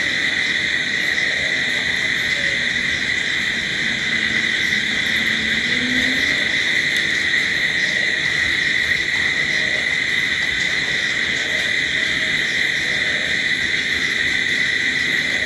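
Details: Night crickets keep up a dense, continuous shrill trill without pauses, layered in high bands over soft background rumble and a few faint low sliding tones.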